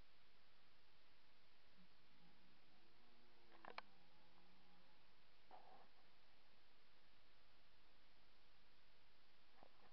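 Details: Red deer roaring during the 2024 rut, recorded close by with a poor microphone. A faint, low, drawn-out harmonic moan lasts about two seconds, rising then falling. A few clicks and knocks follow over steady background hiss.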